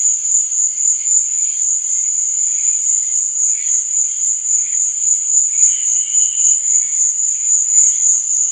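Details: Steady night cricket chirping, very high and quickly pulsed, accompanied by scattered lower trill bursts, one longer phrase standing out near the sixth second.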